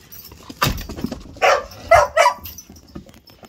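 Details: Male whippet in an impromptu game of play, giving three short, sharp barks in quick succession, spaced about half a second apart, after a brief sweeping yelp near the start; some faint background rustle.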